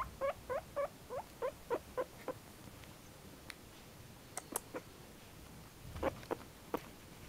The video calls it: Juana (cochon d'inde qui fait "pouic pouic")